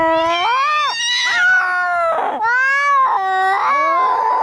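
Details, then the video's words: Angry domestic cats fighting, sold as a sound to drive away rats: loud, continuous wavering yowls that rise and fall, with harsh, noisy snarls between the drawn-out wails. "SUARA KUCING PENGUSIR TIKUS PASTI KABUR"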